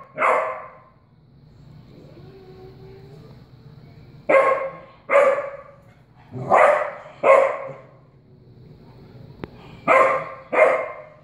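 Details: A puppy barking at a cat, before training, gives sharp, mid-pitched barks, often in quick pairs, with short quiet gaps between.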